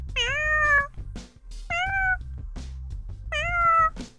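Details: Cat (Felis catus), meow: asking humans for something; kittens calling for their mother.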